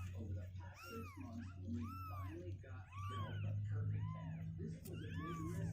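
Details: Restless two-week-old kittens that won't stay in their box meow again and again, each cry a rising-then-falling arch, coming in quick succession over a constant low droning hum.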